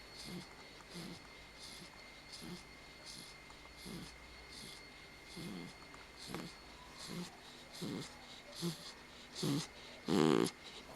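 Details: Sleeping pit bull after a bath, indoors: soft irregular snoring breaths, faint low rasps growing louder toward the end, finishing with one strong snort.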